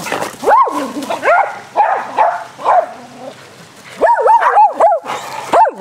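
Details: Dogs at play during a game of fetch on a spring day, giving arching, whiny barks in rapid clusters, a brief lull, then another run of high yelping barks.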